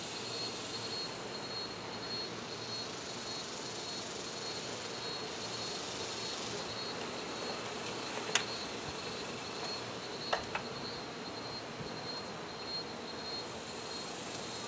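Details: Honey bees buzzing during a hive removal: a dense, continuous swarm hum with a thin, steady high whine over it, broken by a few sharp clicks near the eighth and tenth seconds.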